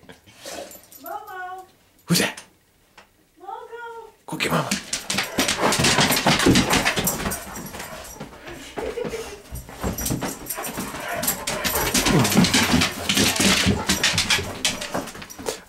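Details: Mogul, a nine-year-old Great Pyrenees acting like a puppy and seeming to feel better, gives two short harmonic woo-woo whines that rise and fall, followed by loud rustling, thumping play noise and excited human voices.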